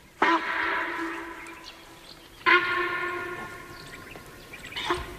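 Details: Long harmonic train horn blasts sound twice, with a shorter third starting, and no animal voice.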